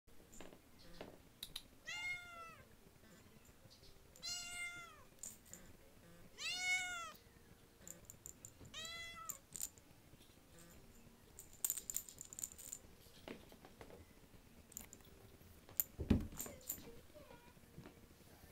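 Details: Talkative female tortie point Siamese kitten at a rescue cat house: four rising-falling harmonic meows about every two and a half seconds, followed by clicks, rustling and handling noises.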